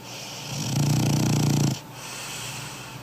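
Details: A large 20 kg French Bulldog snoring while asleep: one long, loud, low rattling buzz lasting about a second, then quieter breathing with a faint hiss.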